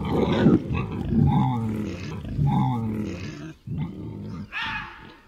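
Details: Wild boar grunting, a vocalisation known in Spanish as berraquear. Deep, rough grunts come in a loose series, roughly one per second, with harsh low rumbling between them.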